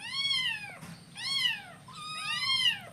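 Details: Hungry kittens at breakfast meow three times in a row, each cry loud, arched and bright, lasting nearly a second, with short pauses between them.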